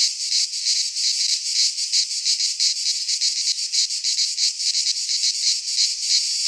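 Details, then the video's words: Cicadas in a pine forest in Greece during midsummer, producing a continuous harsh high buzz that throbs in fast rhythmic pulses, several insects blending into one steady wall of sound. "Cicadas singing in midsummer - Nature sounds from the Greek fauna - Sounds of cicadas"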